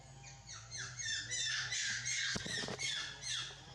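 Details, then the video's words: Baby monkey Leo, left alone and hungry, crying for milk and calling its mother back; shrill, high wails fall in pitch and repeat in quick succession, with a short clatter midway. "Pitiful Leo Alone, Need Much Milk Call Mom Back"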